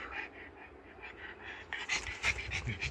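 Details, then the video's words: Male pug puppy, born 29 September 2016, talking back after being scolded for mischief: rhythmic breathy panting puffs, growing louder and more snorting toward the end. "イタズラしたので怒ったら、 反抗してきた。"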